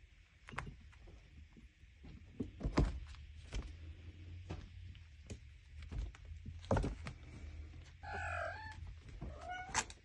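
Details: Five-week-old Minskin kittens at play give two short, high meows near the end, the first bending downward, amid soft thumps and rustling from their romping.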